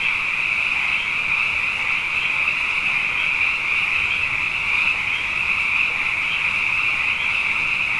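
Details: Abundant frogs singing at night after two wet years in a row: a dense, unbroken chorus of high trilling calls that merge into a steady shimmering drone, with faint pulsing swells and no other clear sounds.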